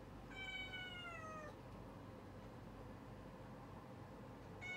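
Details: Cat during its early-morning routine gives one long, drawn-out meow with rich harmonics, falling gently in pitch over about a second, then a low steady hum before a second meow begins right at the end.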